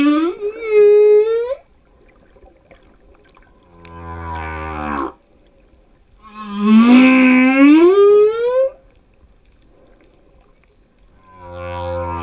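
A male humpback whale sings drawn-out, sliding moans with rich harmonics, alternating with low pulsed grunts.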